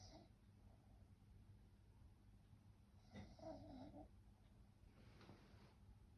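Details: Sleeping French bulldog snoring: a steady low rumble of breathing, then two separate rasping snores, each lasting under a second, with a faint hiss running underneath.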